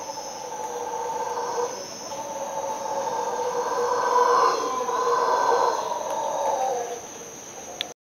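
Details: Howler monkeys heard from a bathroom at around 5–5:30 am give a continuous, throaty, roaring chorus that builds midway before easing off, with a faint high insect hum underneath.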